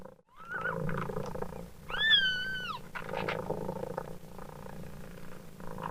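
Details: Continuous low, rhythmic purring from a mother cat, with a faint kitten squeak early on and one loud, drawn-out kitten meow that rises, holds and falls, over the steady purr.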